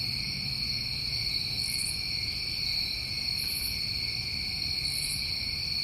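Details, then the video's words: New England summertime crickets sing a constant shrill chorus, an unbroken high ringing drone in two layered pitches. Three brief, very high buzzy bursts rise above it at intervals, over a soft low background hum. "Tinnitus Masking With Crickets"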